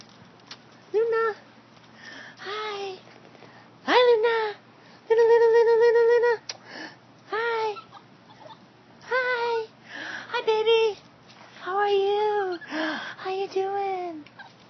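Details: A 14-week-old West Highland White Terrier puppy, excited to greet its owners arriving home from work, gives a run of high, wavering whines and yelps, some rising and falling, one long steady whine held for about a second, in a small room.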